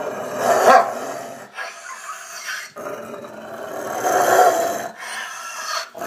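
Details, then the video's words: Angry Rottweiler growling in two long, rough, rumbling bursts with a quieter breathy stretch between them. "Angry Rottweiler"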